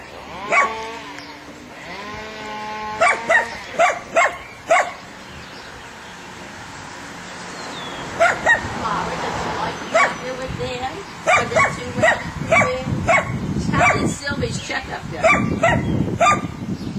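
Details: Dogs at a meeting between Lilly, an Airedale puppy, and three Weimaraners: a few sharp barks in a quick cluster near the start, then scattered barks later, mixed with people talking and handling noise.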